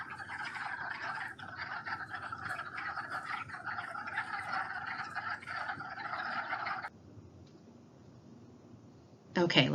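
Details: Breeding wood frogs calling from a teeming vernal pool in Mohican State Park in early March: a dense, overlapping chorus of rapid clucking notes for about seven seconds, then near quiet before a brief loud burst at the end.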